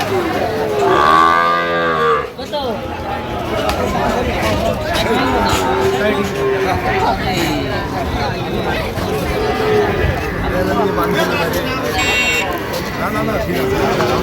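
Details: At Ambari market on 1 September 2025, a Sahiwal bull calf gives a loud, strained moo in the first two seconds, followed by faint lowing under continuous human conversation and crowd noise as Cumilla farmers trade.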